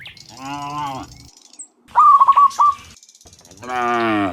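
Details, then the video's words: Cows in the morning returning from the field to the barn: two drawn-out, harmonic moos at the start and end, separated by a brief burst of higher, choppy sounds in the middle. "Dozens Funny Cow Sounds in the Morning, Returning from the Field to the Barn, Cow Sounds"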